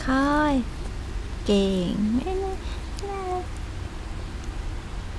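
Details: Tiny red female poodle puppy, two months old, from a kennel: four short whimpering whines in about five seconds, each tonal and harmonic, bending up then down, the second longer and wavering, in a quiet indoor room.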